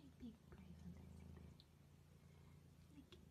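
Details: Cat purring, a low buzzing rumble beneath a woman speaking gently and affectionately to the animal.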